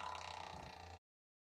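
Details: A striped hyena gives a brief, rasping, rapidly pulsed guttural call lasting about a second, recorded in Kadbanwadi forest near Bhigwan, India.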